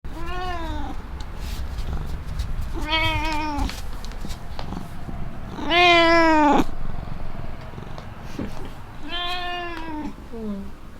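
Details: Black pet cat meowing with delight over cat grass offered again after several days: four drawn-out, tonal meows spaced about three seconds apart, the third loudest and most strained, with quiet indoor background between calls.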